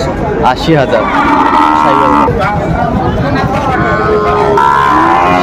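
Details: Sahiwal cattle, bulls and calves, at a busy cattle market in Cumilla, Bangladesh, in December: drawn-out lowing moos, one after another, over constant crowd chatter and men talking about price.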